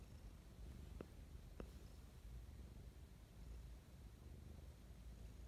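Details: Morning affection from Mischa, a domestic cat, heard as a continuous deep, even purr, close and quiet, broken only by two brief clicks early on.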